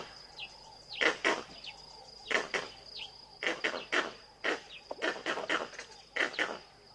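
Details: Monkeys alarm calling in the background at Tau, Africa, as wild dogs hesitate at the water's edge watching a crocodile that has caught a meal; sharp broadband calls repeat about every second over a steady high insect whine.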